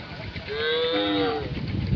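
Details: Many cows gathered together as a herd on a road; one drawn-out moo, steady then gently falling, lasting about a second, with people talking and a low rumble in the background.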